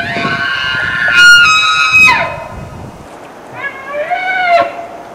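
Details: Bull elk bugling in 2006: a high, whistled scream with stacked overtones rises and holds for about a second, then slides down into a lower grunt. A second, softer and lower bugle follows, rising and then falling.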